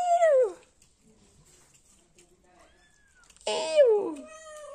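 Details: A happy kitten, indoors, gives two high meows about three seconds apart, each sliding downward in pitch and ending quickly, with near silence between them.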